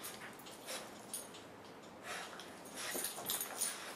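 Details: A French Bulldog puppy, four months old, and a three-year-old Basset mix play together. Faint irregular yips and whines mix with bursts of scuffling, growing busier toward the end.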